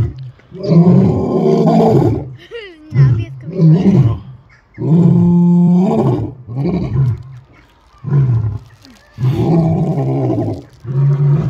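Lions give deep, rumbling roars in loud bursts, with some speech-like sounds mixed in.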